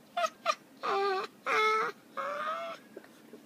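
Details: Tiny pet dogs in one of their daily play fights; one gives high, wavering, monkey-like squeals. There are two short yelps, then three longer drawn-out whines with stacked harmonics, over a quiet indoor background.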